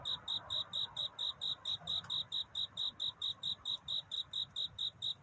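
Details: Cricket singing at night to find a mate, a courtship song at a dawn scene; high, ringing chirps repeat steadily, more than two a second, in an even run through the clip, with a faint low murmur beneath.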